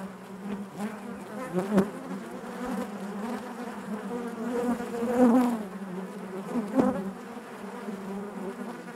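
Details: Inside a honey bee hive, a continuous low droning hum of many bees with layered harmonics; louder surges near the middle and a few close individual buzzes rising in pitch briefly.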